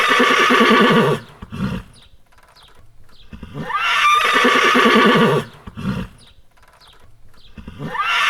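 A horse neighs twice, each a loud shaky whinny of about a second, with a soft snort between them.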